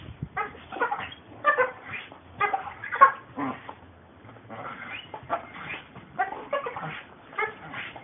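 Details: American Pit Bull Terriers at work, a long run of gruff, harsh barks in quick clusters, loudest near the third second, then a steadier string of quieter barks.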